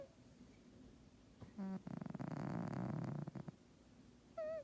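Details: Sleeping pet cat snores loudly. A single long, buzzy, rattling snore of about a second and a half sits between quiet breaths, with a brief squeaky falling note at the end.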